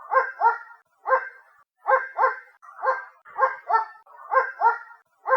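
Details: A dog barks from a distance, muffled doubled woofs repeating roughly every second, each pair followed by a brief pause, steady throughout.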